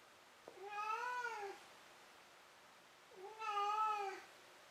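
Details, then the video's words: Pet cat calling indoors shortly before sleep; two drawn-out meows about a second long, each rising gently then falling, rich in harmonics, separated by a brief pause, room otherwise quiet. "鳴くねこからの眠りねこ。 Meow Meow"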